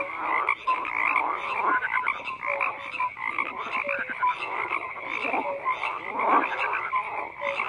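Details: Frogs croaking in a busy chorus, with buzzy rattles stacked over one another and small clear whistled notes dotted throughout, steady and unbroken for the whole stretch.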